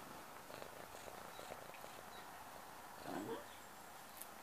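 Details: Domestic cat purring while waking someone up, a soft steady low rumble pulsing evenly throughout, with a brief louder rustle near the end.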